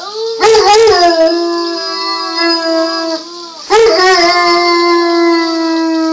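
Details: Domestic dog joins a 4-year-old boy in a howl: two loud onsets, each settling into a long, steady, slightly wavering tone held for several seconds.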